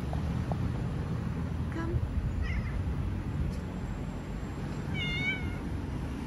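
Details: Stray cat in Istanbul, Turkey, giving a few soft, brief mews before one clear, drawn-out meow that bends upward and falls away, heard over constant low city traffic noise.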